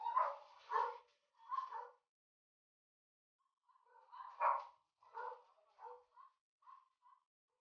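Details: Golden Retriever during a stud session, a pair of dogs mating; a run of whining, yelping calls in short bursts, three close together, a pause of about two seconds, then several more fading into shorter yips.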